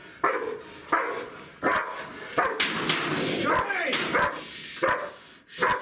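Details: Two-year-old female German Shepherd Siggi, nervous under pressure during bite training in a new scenario, gives a string of sharp barks about once per second, with a human voice and handling noise mixed in mid-clip.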